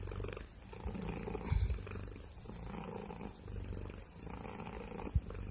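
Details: Heavy, deep purr from a cat recorded very close, a loud low-pitched rumble with rough texture and breath-paced surges, plus a couple of sharp handling thumps.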